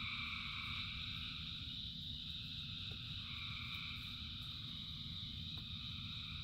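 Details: Many frogs calling together in rain, a dense unbroken chorus of overlapping trills in several high pitch bands, with steady low rumbling noise of rain underneath throughout.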